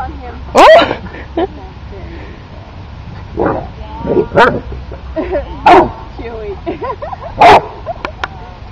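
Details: Wheaten Terrier puppy playing with another dog, giving sharp, high barks and yips in short bursts about every one to two seconds, mixed with softer whines and a person talking.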